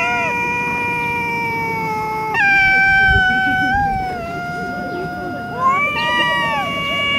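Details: Stray cats fighting in a Russian city, long drawn-out yowls with rich harmonics, held at steady pitch then stepping upward, sliding and wavering over seven seconds, with low street rumble beneath.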